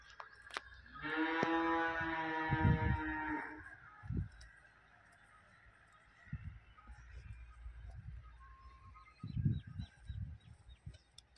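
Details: Holstein-Friesian dairy cow on 10 July 2023 lets out a long, sustained moo of about two and a half seconds. Dull knocks, footsteps and a faint high chirp are heard around it.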